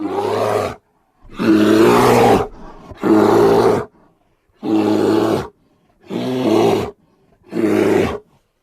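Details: Grizzly bear giving six harsh, rough roars of about a second each, separated by short silent gaps, with a low, growling tonal core.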